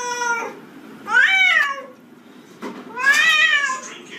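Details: Domestic cat unhappy about a bathtub; a short meow, then two loud arched meows that rise and fall in pitch, separated by a brief click, indoors in a small room.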